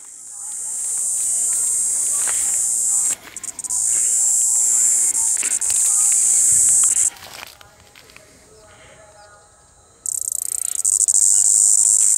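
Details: Cicadas buzzing in forest bushes in Panchkula on 9 April 2021: a loud, steady high-pitched drone that cuts out sharply twice, with a long near-silent gap, then resumes at full strength; faint low rustles in the background.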